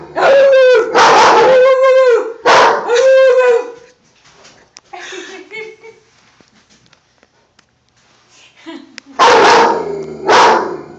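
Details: Domestic dog barking at a poster board of an army man: loud, tonal, drawn-out barks in clusters during the first four seconds, a quieter stretch with faint sounds, then another strong burst of barks near the end. Human speech is mixed in.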